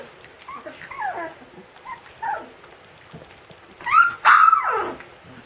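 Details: Siberian Husky puppy yelling at its siblings: short squeaky yelps and whining cries, falling in pitch, come in uneven bursts, ending in a louder, higher drawn-out yowl over faint background noise.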